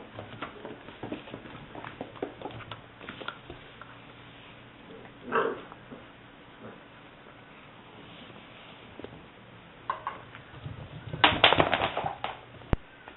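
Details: Female English Springer Spaniel puppy, liver and white tri-colour, seven weeks old, recorded 18 May 2009; mostly quiet scuffling, then a short yelp near the middle and a burst of high, sharp yips and squeals toward the end.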